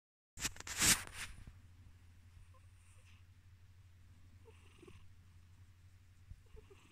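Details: Male pet cat purring as he drifts off to sleep, his nose making odd random noises; a loud brief rustling burst opens, then a soft, steady, low rumbling purr continues with faint breathy whistles.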